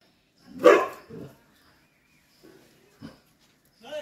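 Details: Chippiparai dog barking while fighting monkeys: one loud, harsh bark bursts out, followed by a softer second bark, then a few faint short sounds and a brief noise at the end.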